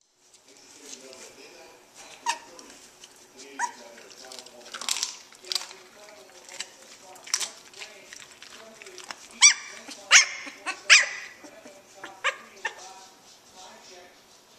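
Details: Two-week-old puppies from Havoc's litter, just starting to play and wrestle with each other, give high, thin squeaks and short whining yelps in irregular bursts. A woman talks softly to the dogs throughout.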